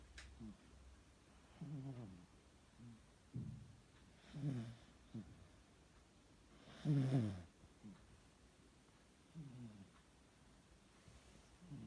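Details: Sleeping cat snoring softly, low rasping breaths in short bursts repeating about every two to three seconds, some louder than others, in a quiet room with a brief murmur from a person at the start.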